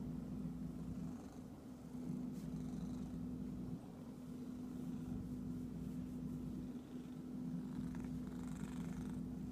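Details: Low, continuous purring from an itchy pet cat, pulsing rapidly under a steady mechanical hum, broken by a few faint clicks and soft scratching noises toward the end.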